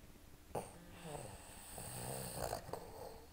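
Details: Pet Boston Terriers asleep, snoring: soft, low rumbling breaths with nasal, harmonic drones, punctuated by a sharp snort early on and a couple of quicker snuffles near the end, in a quiet setting.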